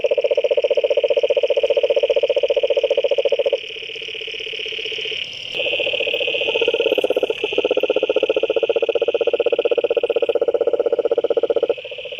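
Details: Frogs calling in a pond in Brazil, a dense chorus of rapid, evenly pulsed croaks, about four per second, holding steady tones that shift in pitch partway through, with overlapping callers and no other clear sounds.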